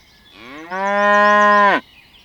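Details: A cow grazing on a lush green meadow gives a single long, steady moo that rises briefly at the start and drops sharply at the end.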